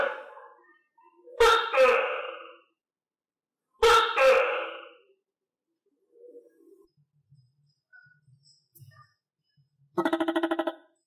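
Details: Two loud, buzzy two-note calls from a captive tokay gecko fed crickets, followed by faint soft clicks and then a rapid rattling burst of pulses.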